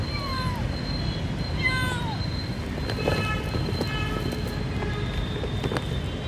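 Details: Kitten separated from its mother, homeless, calls with two short falling meows in the first two seconds, then faint thin tones over a constant low hum and scattered clicks.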